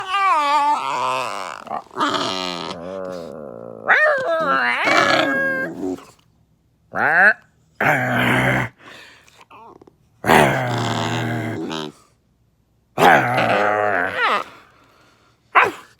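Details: Dog indoors making weird sounds: long wavering whining and howl-like yowls with rising and falling pitch, interrupted by short grumbling growls and pauses of silence.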